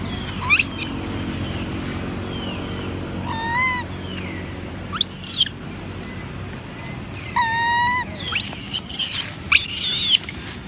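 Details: Several monkeys crying loudly from hunger for food: shrill, arching, harmonic wails recur in short bursts every couple of seconds, some rising into harsh screams, over a steady low background hum.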